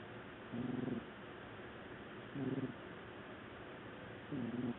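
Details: Loud snoring from Qiudan, a black domestic cat asleep on the sofa: three deep, rasping, buzzy breaths, each about half a second long, spaced nearly two seconds apart.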